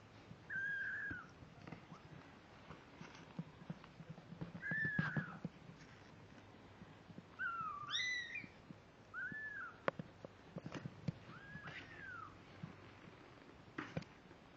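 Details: Several 17-day-old kittens, born October 31, 2011, filmed November 16, 2011, give a run of high, arching mews, some rising in steps, scattered over the stretch amid soft rustling and occasional taps.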